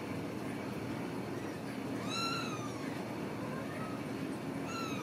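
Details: Ragdoll kittens raised in a home cattery in central Kansas, without cages, give thin, arching meows around the two-second mark and again near the end, half-buried under a loud, steady rumbling hiss.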